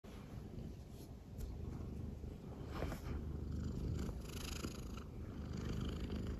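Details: A female silver tabby American Shorthair cat, born January 2019, purrs affectionately while lying on her owner's belly: a low, throbbing rumble pulsing several times a second, swelling on each breath, with faint rustling.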